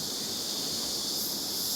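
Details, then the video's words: Large cicadas on the Îles du Salut, French Guiana, sounding like an electric saw, very loud: a dense, continuous high hiss-like buzz filling the upper range without pause, steady throughout. "Alors, ce que vous entendez là comme bruit, ce sont des cigales. Ça fait des bruits de scie électrique."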